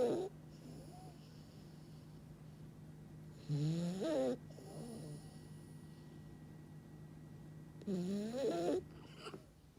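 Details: Hotaru, a Kyoto-born French Bulldog living in Kyoto, snoring while asleep: three rasping, wavering nasal snores roughly four seconds apart, each lasting under a second, over a steady low hum.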